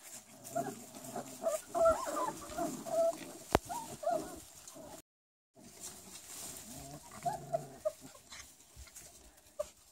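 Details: Four-week-old Rottweiler puppies whimpering and squealing together in short overlapping whines, with a brief gap of silence midway and a soft background hiss.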